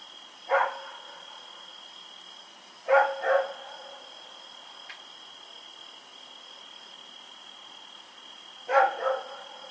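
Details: Night barking from Rex, a dog running around in the dark on October 7, 2018; a single bark, then a quick pair, then another pair after a long pause, with a constant high-pitched tone running underneath.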